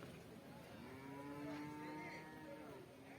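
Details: Water buffalo calf at the Pallikkal Kattupusseri buffalo market in Thiruvananthapuram district on market day: one drawn-out, even, low moo lasting about two seconds, with people talking in the background.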